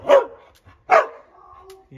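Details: Dog barking in fall as the dogs are called into the house: two sharp, loud barks about three-quarters of a second apart, each with a falling tone, followed by a person's voice.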